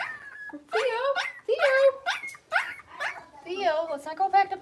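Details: Six-week-old Blenheim Cavalier King Charles Spaniel puppies in an indoor pen, a litter of five; loud squealing yelps and whiny barks in quick bursts, each sliding upward then falling, repeated about every half second.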